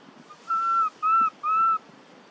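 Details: Lost baby monkey calling for its mother in an archaeological park: three clean, whistled coos in quick succession, each about a third of a second, steady in pitch with a faint drop at the end, over a quiet background.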